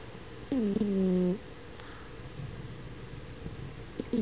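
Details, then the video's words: Snoring French Bulldog during sleep: one clear whistling snore near the start, held steady for almost a second, then quiet breathing and the onset of another snore at the end, with a low indoor hum throughout. "Snoring Frenchie"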